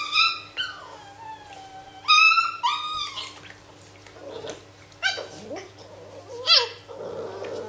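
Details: Japanese Spitz puppies, eight weeks and four days old, a kennel litter of three females and one male playing indoors: high, drawn-out whines and yelps with falling tails, several overlapping bursts, and a steady low electrical hum throughout.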